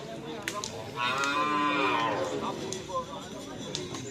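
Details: Cattle at bull race training on a field in Asemanis, Pamekasan, giving a single drawn-out moo of about a second and a half, tonal with stacked harmonics, over steady outdoor background noise and faint clicks.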